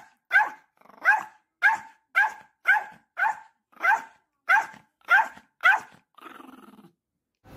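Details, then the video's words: Angry pet dog in South Korea firing off around ten loud, clipped barks at a steady quick pace, then ending on a short low growl. "Angry Cute dog/화난 귀여운 반려견"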